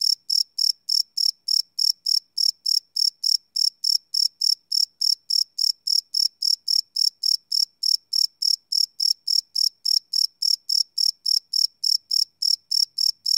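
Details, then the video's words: Live nighttime cricket chorus, unlooped, recorded with a Sony PCM D100 field recorder: continuous shrill, evenly paced chirps, about three and a half per second, bright and buzzy high tones with nothing else audible. "Cricket Chirp Sound - Cricket Sounds at Night"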